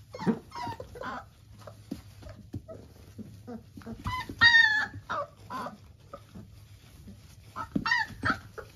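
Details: Litter of three-week-old Labrador Retriever puppies giving thin, scattered whimpers and brief squeaks amid shuffling and rustling, with two louder, longer squealing whines standing out midway and near the end.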